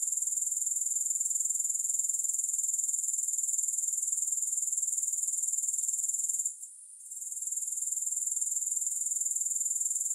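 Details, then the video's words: Grasshoppers chirring steadily in a high, thin, rapidly pulsed trill, with a short dip in loudness past the middle before the sound builds back up. "3 Hours of Grass Hopper Sounds"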